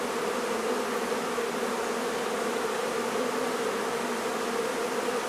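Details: Mass buzzing of honey bees as their hive is removed from a barn in La Feria, Texas: an unbroken, even drone of countless wings with no pauses.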